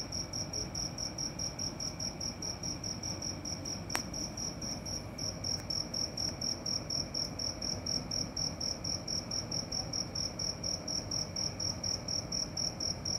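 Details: Cricket singing at night in a steady train of high, metallic pulses. A short gap follows a sharp click near the start, then the pulses resume evenly.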